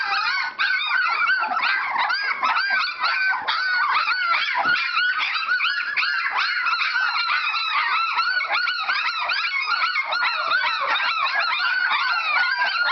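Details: Whelping-box chorus of Standard Poodle puppies exercising their lungs: dense, continuous high-pitched whimpers and squeals overlapping constantly, each note curving up and down, with no break in the noise.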